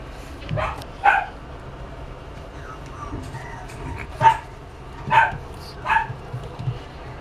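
A pug gives several short, sharp barks spaced unevenly over a few seconds.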